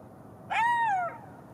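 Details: A single golden jackal wail, a clear tone that swells and then slides downward over half a second, ringing with overtones above a faint hiss.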